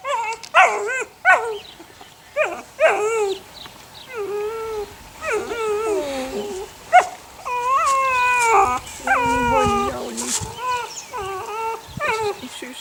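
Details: Six puppies aged eight weeks, from the neighbour's dog Sunny, keep up a chorus of high whimpering, wavering whines and drawn-out little howls, many voices overlapping, some notes sliding downward, continuing steadily throughout.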